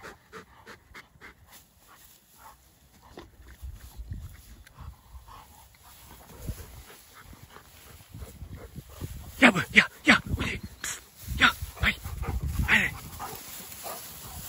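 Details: Pair of Dogo Argentino dogs at play outside: quick rhythmic panting, roughly three breaths per second, clear at first, then overlapped by a person talking in German and louder rustling.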